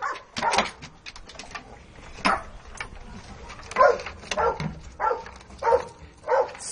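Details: Pet dog, perhaps named Nina, being urged to bring its basket: irregular, hoarse barks and yips, some doubled, about every half second toward the end, over a noisy room.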